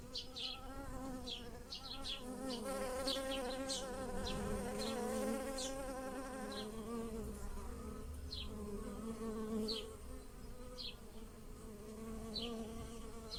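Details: Bees buzz among blossoming lilacs in a garden, pollinating the flowers, humming steadily in overlapping wavering drones while small birds chirp now and then.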